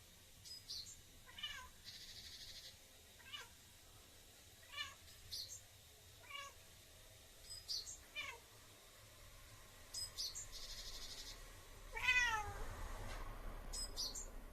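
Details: Bengal cat talking with a bird: a series of short, clear meows spaced every one to two seconds, with a louder drawn-out meow near the end, answered by brief high chirps from the bird over a low background hum.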